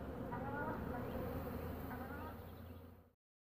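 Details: Carniolan honey bees around a queen returning home after a three-to-five-minute orientation flight; dense low buzzing with wavering tones, a man speaking, cut off abruptly near the end.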